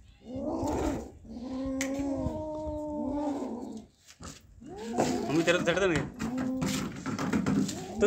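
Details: Two cats, Kaallu and Motu, after catching a big mouse: long steady drawn-out moaning tones lasting about two seconds, then a string of shorter arched wails, with music playing underneath.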